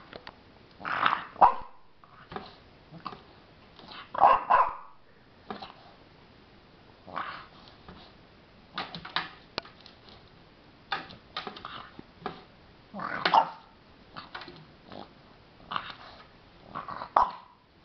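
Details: A 16-week-old female French Bulldog discovering mice gives short, gruff barks and huffs in irregular bursts.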